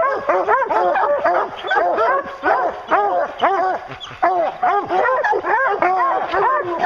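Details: Bear-hunting hounds in full cry, a steady stream of loud, arched, overlapping barks from several dogs packed close together.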